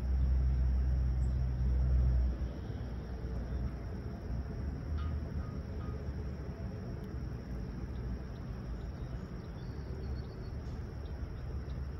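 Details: Low rumbling traffic noise from vehicles on a calm summer morning at Humber Bay Shores, Toronto, louder for the first two seconds then steady, with no animal calls heard.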